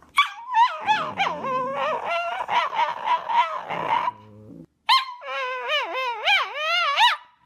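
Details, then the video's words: Dog making funny noises: a rapid series of yelping, warbling cries, a brief pause, then a wavering, sing-song howl with sliding pitch. "Dogs making funny noises"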